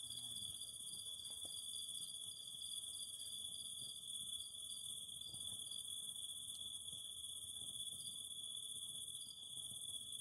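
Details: Cicada chorus next to a fire, meant for calm sleep: an unbroken shrill high drone runs throughout, with short buzzy pulses repeating irregularly a little lower and a soft low rumble beneath.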